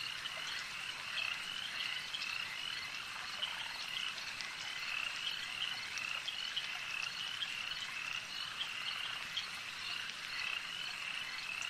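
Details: Frogs at a lake keep up a thick, even chorus of high buzzy croaks and short whistles, countless voices blending with no gaps over soft ambient noise.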